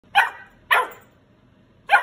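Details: A female Golden Retriever puppy barks for more food, using her puppy eyes to get her way, giving three sharp, bright barks spaced unevenly.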